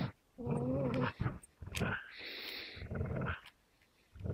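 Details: Amstaff and Beagle stare each other down, teeth sunk into a shared fabric toy. A low, rough growl with a faint whining edge is followed by a noisier, rasping snarl and short pauses.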